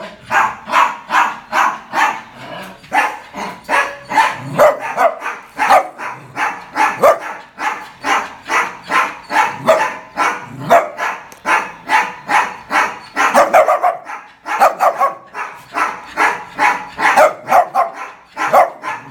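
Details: Three-year-old male Lhasa Apso giving a long run of rapid, steady barks, roughly two to three per second, each sharp and mid-pitched, continuing without a break.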